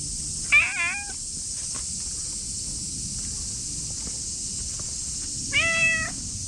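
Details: Ginger tabby and white cat resting under a bench out of the sunlight gives two clear, tonal meows about five seconds apart, each slightly wavering and falling at the end, over a steady high-pitched hiss in the background.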